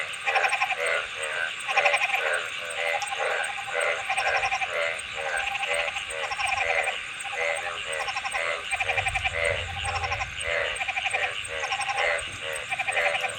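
A dense chorus of frogs calling with rapid, pulsed croaks repeated in quick succession.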